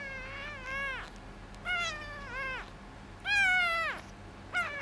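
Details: A rescued calico kitten, found alone outside a door on a hot summer day and then bottle-fed, gives four insistent meows. Each is drawn out and bends down at the end, separated by short pauses in a quiet room.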